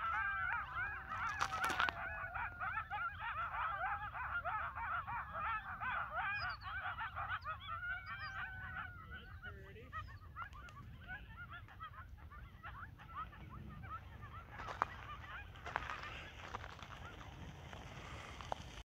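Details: Coyote pack on North Table Mountain, Colorado, gathering after sunset: a loud dense chorus of wavering howls and yelps for the first half, fading into scattered quieter yips, with wind and handling bumps.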